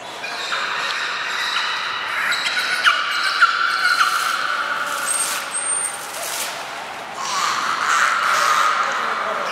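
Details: Belugas Gray, Mirai and Niko in training at Nagoya Port Aquarium, 16 December 2018, giving repeated bright harmonic tones with clicks and squeaky breaks, a short high trainer whistle, and indoor crowd noise.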